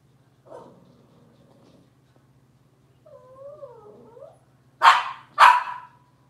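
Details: Indoor kitchen cam of Robin's Cavalier King Charles Spaniel puppies: a rough short squeal, then a wavering drawn-out whine, then two loud abrupt yapping barks in quick succession, under a low constant hum.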